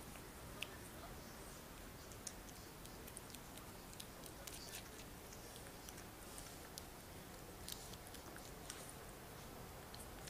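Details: Shih Tzu puppies Tereza and Diamantis drinking milk: soft, irregular wet clicks and smacking ticks scattered through the clip, over a steady low hiss.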